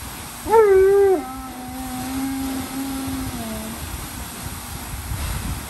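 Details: Giant Alaskan Malamute Tonka, unhappy and crying like a baby, lets out one loud whine that breaks off and continues as a long, quieter, lower-pitched moan before fading into silence.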